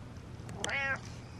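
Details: A short meow from Butters, the pet cat, preceded by a couple of soft clicks, the voiced tone swelling and sliding gently downward before stopping abruptly, over faint room hum.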